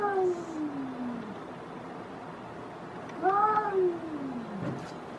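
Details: Outdoor cats in a fight: two long, drawn-out yowls. The first slides steadily downward for over a second. After a pause, a second wail swells upward, then sinks slowly. A constant background hiss runs throughout.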